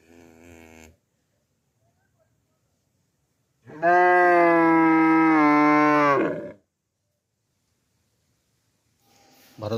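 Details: Cow at a village farm with a brief low moo at the start, then a long, loud, even moo of nearly three seconds holding a level pitch, followed by silence and another moo beginning at the end.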